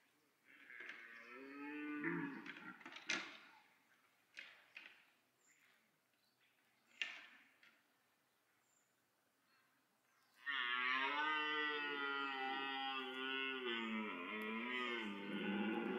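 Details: Red deer stag bellowing in autumn rut at Parc Sainte-Croix, calling to draw females while rivals chase and fight; short moaning grunts and clatters lead into a long, loud, harsh roar lasting over five seconds with pitch dips.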